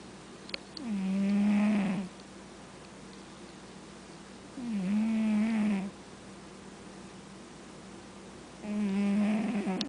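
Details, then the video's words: Indoor cat snoring in its sleep, three rhythmic, droning snores about every four seconds, each a buzzy, harmonic breath of roughly a second, separated by near silence. "Snoring Cat"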